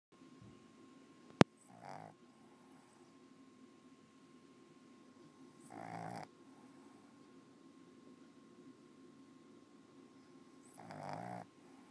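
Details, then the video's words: A Boston Terrier snores quietly in slow, raspy breaths, each rumbling snore coming every four to five seconds. "Popeye Boston Terrier Snoring"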